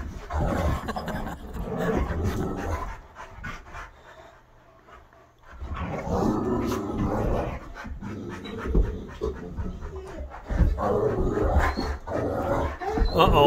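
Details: Three dogs (a Great Dane, a wolf-hybrid and an Aussie mix, including visiting Bo) wrestle roughly in a living room: bursts of heavy, rapid panting and scuffling, with a quieter pause midway before the rough play surges again.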